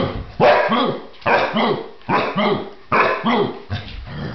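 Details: Puppies, Bryon and Guinevere, barking in short rough bursts, about five quick barks in regular spaced groups, each burst with a low bowing tone beneath a harsh, noisy upper layer.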